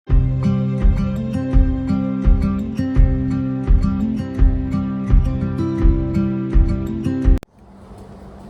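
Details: Plucked guitar music with steady low bass notes plays for about seven seconds, then cuts to quiet background noise.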